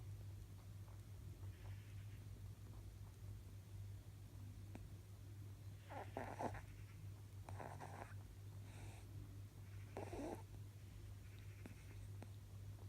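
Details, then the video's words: Male pet rabbit, almost eleven years old, snoring while taking a power nap indoors; soft, breathy rasping bursts come roughly every two seconds over a steady low electrical hum. "My rabbit is snoring"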